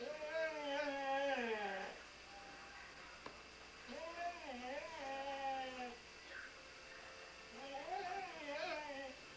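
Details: Welsh Springer Spaniel named Sam singing in three wavering, whine-like howls separated by short pauses, each bending up and down in pitch, over a faint steady background hiss.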